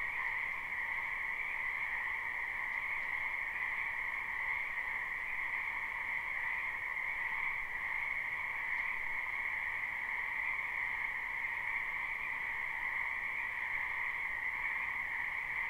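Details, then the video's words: A lot of frogs in a spring wetland, live and unlooped: their calls merge into a seamless, high droning chorus with two layered tones, steady from start to finish, with nothing else heard. "Ambient Noise for Sleep Frogs"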